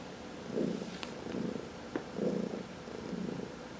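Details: Close, loud purring from a pet cat under massage, one of four cats in the household; rhythmic rumbling pulses in quick breath cycles, with a couple of small clicks from handling.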